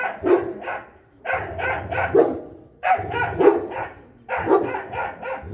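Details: Boerboel, a South African Mastiff, one of a male and female pair living in Egypt; booming low barks in clusters of two to four, separated by about one-second gaps.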